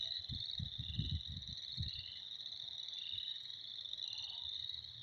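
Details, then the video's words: Frogs in spring calling as a massed chorus, a continuous high-pitched pulsing trill. A run of low rumbling bursts fills the first two seconds, then only the steady chorus is left. "Spring is here. Frogs are jerks."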